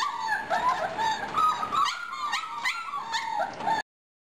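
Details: Four-and-a-half-week-old German Shorthaired Pointer pups whimper in a steady chorus of thin, wavering whines, some rising then dipping, followed by several short sharp yips in quick succession.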